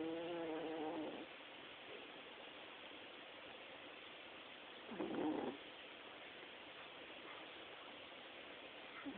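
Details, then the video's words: A sleeping Chihuahua snoring: two rough, buzzy snore bursts roughly four seconds apart, the first at the start and the second near the middle, with quiet hiss between breaths. "My Chihuahua snores"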